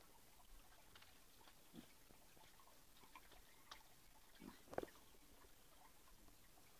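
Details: Kunekune pig sharing a bath, giving a few soft, short grunts spaced irregularly through the clip, the loudest coming near the end, over a quiet, steady indoor background hiss.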